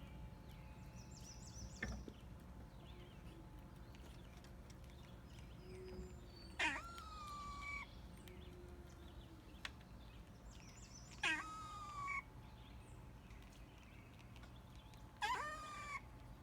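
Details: Cat making cute noises: short high chirping meows, rising then falling, spaced every four to five seconds over a steady low hum, with softer faint calls between.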